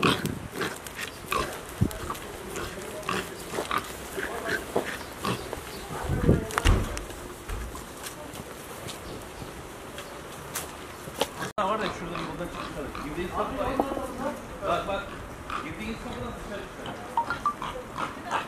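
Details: Herd of wild boar trapped inside a residential estate in Bodrum, Muğla, Turkey, awaiting removal by municipal crews; rough low grunting and snorts mixed with excited human voices, shouting and scuffling throughout.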